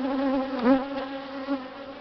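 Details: An angry honey bee swarm, kept two days in a swarm box, is shaken out and moves into the hive, probably queenless. A steady, low, layered drone with a brief dip and rise in pitch midway.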